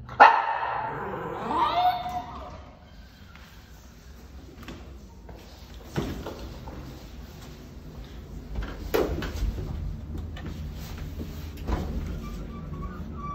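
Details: A 6-month-old parti-colour Miniature Schnauzer puppy lets out a burst of high, whiny yelping barks in frustration, throwing a tantrum while waiting for an elevator.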